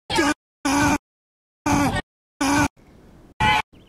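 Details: A very angry desert rain frog gives short, squeaky bursts, each about a third of a second, like a squeezed dog toy; the squeak is its war cry.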